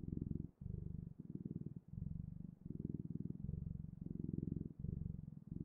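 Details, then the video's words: Close, continuous purr of a house cat: deep pulsing rumble in alternating breath phases, each lasting under a second, brief gaps between them, nothing else audible. "Purring Clouds: The Best, Ultimate, and Magical Sounds of Cat's Purring"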